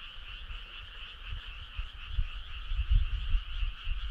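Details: Frog chorus on a midsummer night: a dense, steady trilling drone in two bands, one mid-pitched and one higher, with no breaks, over low rumbling thumps that swell and fade.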